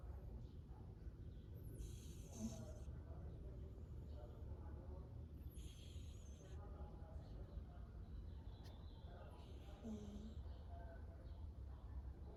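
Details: Snowshoe cat asleep and snoring: soft, breathy rasping breaths come roughly every four seconds, each a short hissy burst, over a steady low rumbling hum in the room.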